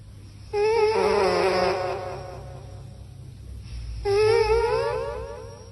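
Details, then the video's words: Sleeping cat snoring indoors: two long, wavering, nasal, whistle-like tones with rich overtones, each lasting over a second and separated by a quiet breath gap, over a steady low hum. "Cat snoring microphone / Snoring cat echo"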